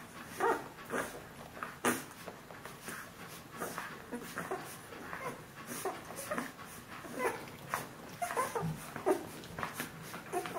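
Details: Bernese Mountain Dog puppies from a litter 14 days old, indoors, giving soft whimpers and squeaks at intervals, overlapping, with rustling between them.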